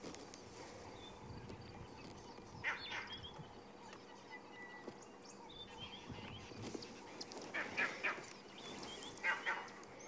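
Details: At sunrise on 2 April 2016 in Sabi Sand, monkeys give short, harsh alarm barks in scattered bursts, warning of a nearby predator; other animals, including impala, also sound alarm calls.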